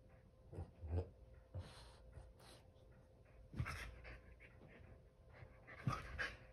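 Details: Male Keeshond rolling on a couch indoors, with low breathy panting and snorting puffs in irregular bursts, some scratchy rustling of fabric in between.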